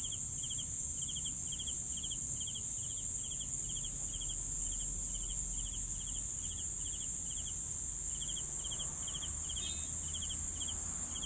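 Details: Crickets chirp in a long, regular series of pulsed high notes about twice per second, with a brief pause near the end, layered over a continuous shrill insect drone and soft low-frequency noise.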